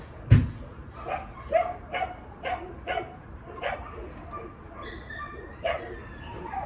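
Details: Dog barking in short, sharp yelps, about a dozen bursts repeated roughly every half second with uneven spacing, over a steady low background rumble.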